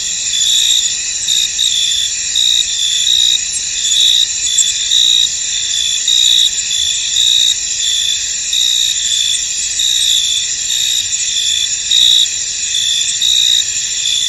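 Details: Misty field at night-like calm filled with cricket song: an unbroken high shimmering chorus carrying short rhythmic trills, each lasting under a second and recurring about once per second throughout.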